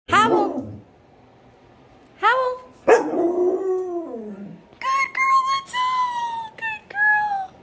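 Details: Sand-coloured Belgian Malinois howling: short sharp yelps with falling pitch, then longer wavering howls held steady and slightly sliding down, in several bouts with brief pauses between.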